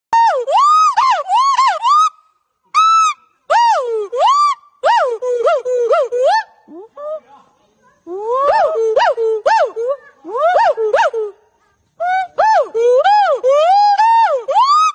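A monkey gives loud, wailing howls that swoop up and down in pitch in rapid bursts.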